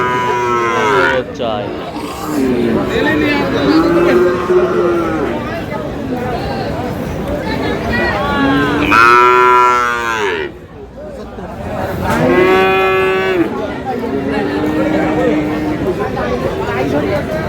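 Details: Friesian and crossbred bull calves at Aftabganj cattle market in Dinajpur, Bangladesh. Several drawn-out, tonal moos rise and fall over heavy buyers' and sellers' speech and haggling, with market chatter throughout.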